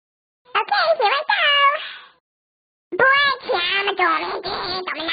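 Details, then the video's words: Domestic cat making funny noises: two bursts of drawn-out, wavering, harmonic meowing and yowling, each about one and a half seconds long, with a short silent pause between them. "the cat making funny noises"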